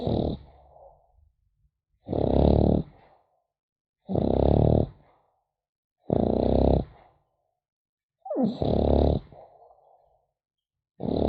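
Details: French Bulldog puppy snoring while sleeping, slow rhythm of harsh, rattling breaths every two seconds, each followed by a softer wheezy exhale trailing off before the next.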